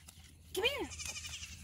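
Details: Goat kid bleating at bottle-feeding time while sucking a finger; a single short wavering bleat arching up then down, with a person talking nearby.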